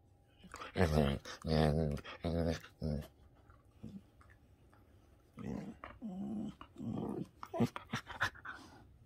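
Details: Affectionate Shetland Sheepdog suddenly starting to play, giving a run of low, rough growl-like vocalizations in quick bursts, then a quieter stretch and further short, uneven grunts and growls.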